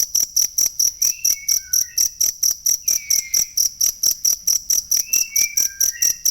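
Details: Authentic cricket chirping for teaching songbirds: quick, piercing pulses repeat steadily while several short, thin whistled notes at varying pitches come and go in the background.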